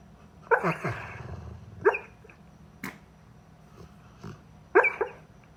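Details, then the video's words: Labrador Retriever dreaming after a very long run and walk, making short huffing, whimpering grunts and muffled yips in little bursts, one rumbling snore-like stretch between quiet pauses. "Labrador snoring laughing dreaming"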